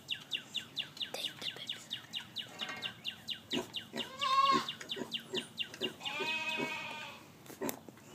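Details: Newborn piglets under a day old with their sow Gracie, giving rapid runs of short, harmonic squeals about three per second, broken by a longer, louder wavering cry near the end.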